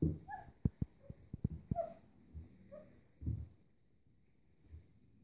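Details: Kuvasz-Golden Retriever cross puppies, born 11–12 May 2014, at a puppy play session on 3 June 2014: low rumbling growl bursts with sharp clicks and knocks, a few short higher whining notes, then quieter grumbles trailing off.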